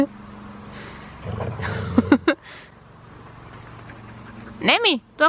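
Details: Dog with a new horse-sized ball toy: rustling and a couple of short sharp yips, then a loud arched harmonic bark near the end over a low steady hum.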